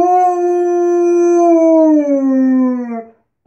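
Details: Alaskan Malamute howling indoors after barging into a bathroom: one long, steady, tonal howl with rich harmonics, holding level and then sliding gently downward before it stops after about three seconds.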